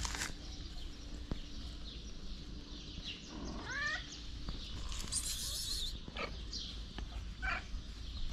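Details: Black feral cat, pregnant and living on the street, gives a single wavering meow midway, rising then dipping, surrounded by constant low rumble, a brief hissing burst and soft taps.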